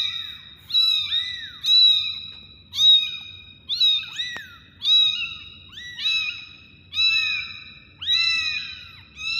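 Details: Several kitten meows in quick succession, high-pitched and thin, each a short rising-then-falling mew repeated about once per second, overlapping at times, with a soft low background hum throughout.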